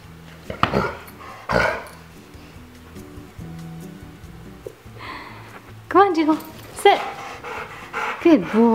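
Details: Six-year-old male pit bull mix with his chew antler, giving short high, yelping barks on the spoken command "speak" in the second half, after music and a man's praise; the voice continues over the calls.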